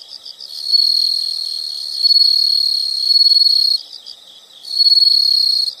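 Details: An insect chorus in nature: loud, high continuous trilling dominates, with brief stretches of faster pulsed chirps between the sustained bursts.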